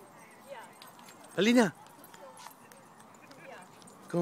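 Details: Dog named Pao, at a favorite park in Pasadena, barking at other dogs playing with big brother Teddy. One loud, sharp bark near the middle, another brief bark at the very end, faint voices and outdoor noise around.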